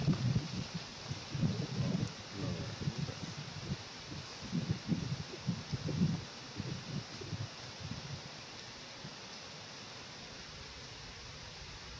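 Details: Leaves rustle and low thumping bursts come and go over the first eight seconds, then fade to a quiet, steady background with no animal calls.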